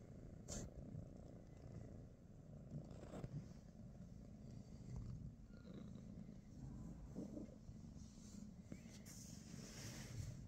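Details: Low, continuous purring from a British Shorthair cat, one of Pikachu, Teddy and Rosie, on a morning at home; the rumble stays even throughout, with brief light taps and rustles near the start and again toward the end.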